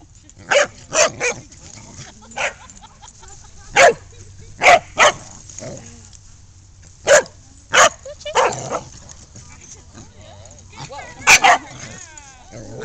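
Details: Older dogs Ruby and Macsen picking on Lexie, a new puppy who stands up for herself; sharp, high barks come in bursts and pairs across the stretch, with short quiet gaps, and a woman calling in between.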